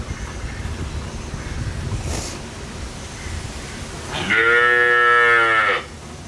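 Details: Desi cow, a local Indian variety, being milked at a dairy in India with her calf close by; a loud harmonic moo rises then holds steady for about a second and a half after quiet background noise.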